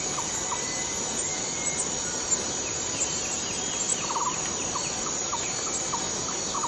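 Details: Cicada in Borneo rainforest, a steady high-pitched continuous buzz filling the air, with short low chirping notes repeated in clusters from another rainforest caller and faint whistles in the background.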